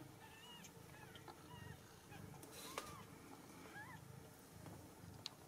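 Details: Several Ragdoll kittens, home-raised in a central Kansas cattery with their mother nearby, give a run of thin, wavering mews, some short and some bending upward, scattered across the clip, with faint low background rumble.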